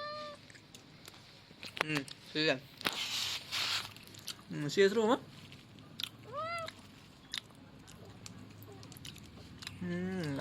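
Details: Young male cat, a kitten, giving a few arched, rising-then-falling meows, two standing out clearly in the second half, over steady people's chatter in Khmer and some chewing and crunching sounds.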